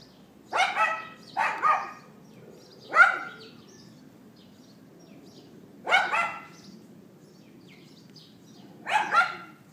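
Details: Yapping from a neighbour's dog, captured with an iPhone 4S at 11:31 AM on 18 April 2012: a quick pair of double barks, a lone bark, then further double barks spaced about three seconds apart against a quiet background.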